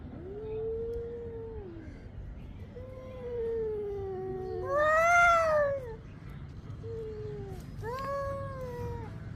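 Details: Domestic cats in a fight, long drawn yowls rising and falling, swelling to a loud wavering howl midway, then shorter wailing calls; low rumbling background hum throughout.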